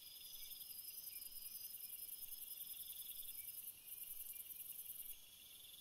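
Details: Night chorus of crickets, several callers layered together, giving continuous shrill pulsing trills at a few distinct pitches. The highest layer drops out briefly near the end, while the lower chirping carries on steadily.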